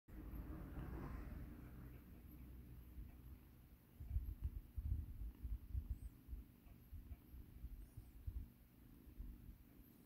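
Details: Rescued kitten Mikan, once in battered condition, purring while being given a soothing massage: a low, rumbling purr that swells into pulsing bursts from about four seconds on, with soft handling noise.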